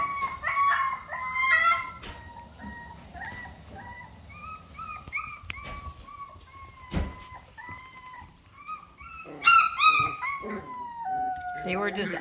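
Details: Miniature Australian Shepherd puppies, 4.5 weeks old, complaining indoors: sustained high whines with downward bends, overlapping voices forming a howling chorus, louder bursts toward the end; faint music and a woman's voice.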